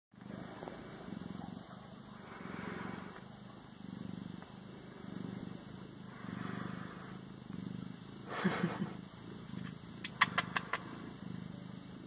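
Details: {'caption': 'Siamese cat purring in a steady low rumbling pulse, with a few sharp clicks and taps near the end and a faint constant high whine in the background.'}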